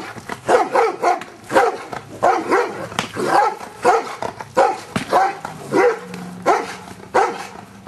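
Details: Luther, a Giant Schnauzer, barks during Schutzhund training to get used to stick hits, recorded 25 April 2009. Deep, punchy barks come in a steady series of about a dozen, roughly one every 0.7 seconds.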